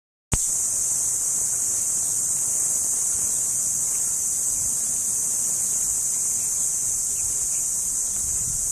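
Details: Cricket, also called kuliglig, heard as a steady, dense, high-pitched shrill that runs unbroken from the first moment to the end, with no pauses or pulse breaks.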